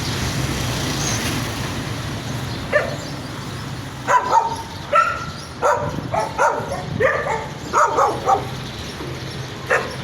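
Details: Dogs gathered around garbage, barking in an irregular string of about a dozen short, rough barks that start around the middle of the recording, over constant low engine-like noise.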